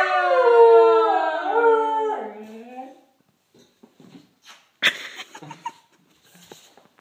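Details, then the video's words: Corgi howling when told no: a wavering harmonic howl for about two seconds that tails off, followed by quiet clicks and handling noises. "Corgi singing the blues"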